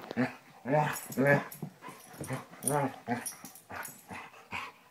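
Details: Two playing Basset Hounds, Tracker and the puppy Ranger, wrestling: deep, hoarse barks repeated roughly twice a second, mixed with rougher growling grunts and scuffling noise.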